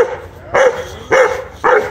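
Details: A one-year-old Rottweiler, angry and fighting a monitor lizard, gives three short, sharp, mid-pitched barks about half a second apart.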